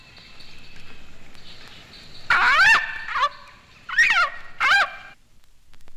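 A leopard frog gives loud, wailing screams in several harsh bursts, each sliding up and then down.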